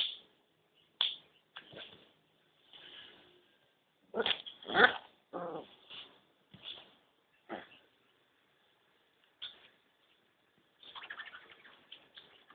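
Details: Male Kintamani dog puppies giving short, scattered yelps and whimpering barks, single bursts spaced irregularly with a small cluster of louder yaps in the middle, then a faint scratchy patch near the end.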